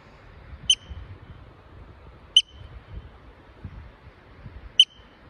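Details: A yellow-bellied marmot on the Blue Lake trail in Colorado's Indian Peaks Wilderness gives sharp, high whistled chirps about two seconds apart over a faint low rumble.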